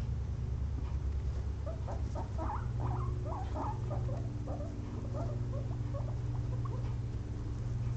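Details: Two pet guinea pigs napping after a long day of munching frozen blueberries; faint, short high squeaks come in a loose run through the middle seconds over a steady low electrical hum.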